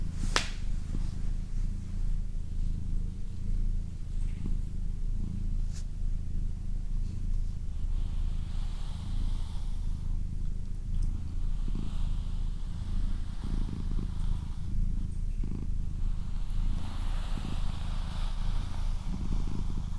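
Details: Steady low purring from Doroti, a female house cat, the rumbling rising and falling in regular breath cycles about every second and a half; a soft tap near the start and light handling noises.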